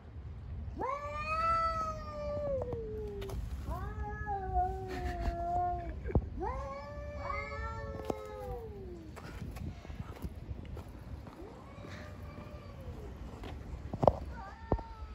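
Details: Street cats in a fight give a series of harsh, drawn-out yowls, several overlapping and wavering, some sliding downward, with short clicks and thumps between and a steady low urban hum beneath.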